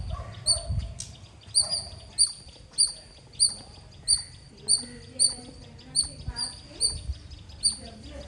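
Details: Squirrel giving loud chirping sounds: piercing short chips, about a dozen in a steady series at a little under two per second, with mixed low background noise throughout.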